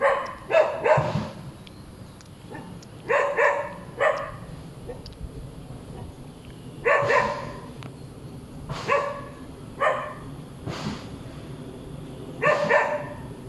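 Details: Hyperactive dog barking over and over: quick doubled and tripled barks in bursts, then single loud barks spaced a couple of seconds apart, with a faint hum underneath.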